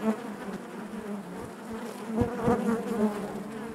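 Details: Honey bees buzzing inside their hive: a dense, steady hum of many wings with a low droning tone and overtones, swelling and fading slightly, with occasional soft knocks.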